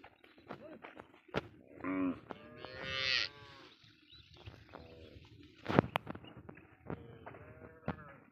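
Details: Cattle smuggled across the Indian border, found on a char of the Padma river: two drawn-out lowing moos early on, the second longer and rising, then softer moos later, amid sharp knocks, clatter and murmured voices.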